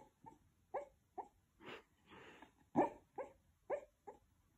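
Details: A 12-year-old West Highland White Terrier dreams while asleep indoors. Muffled yips and soft woofs come about every half second, broken by a couple of breathy, snore-like exhalations in the middle.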